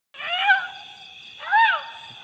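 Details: Mischievous wild Asian elephant calf, the young male Phlai Hong Thong, gives two tonal, harmonic-rich squeals. Each one arches up and then falls. They come about a second apart, with a steady lower tone running between them.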